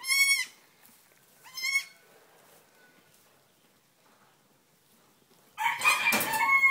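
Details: Newborn Nigerian Dwarf goat kids, under five minutes old, on a farm. Two thin, high bleats about a second and a half apart, then a quiet gap, then a louder burst of overlapping bleating with rustling noise.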